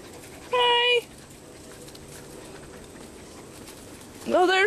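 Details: Seven-week-old Wirehaired Pointing Griffon puppies of the "D" litter at Bluestem Kennels, playing and chasing children and each other in back woods, July 2012; a steady harmonic whine, then a rising yelp, with faint background chatter.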